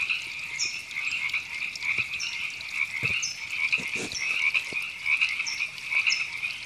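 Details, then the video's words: River frogs in a Los Angeles canyon park, California, in April 2017, giving a thick, rattling chorus with irregular pulses about once a second, high chirps at intervals, and a few low thumps. "Frogs Ribbits"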